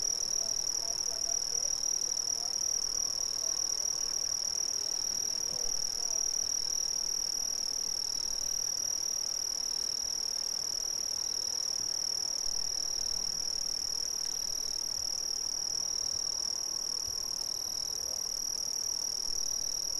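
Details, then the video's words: A constant shrill trill from Brazilian crickets fills the clip, with a fainter, lower, rhythmically pulsing chirp repeating beneath it and a steady, soft background hiss. "Brazilian Crickets"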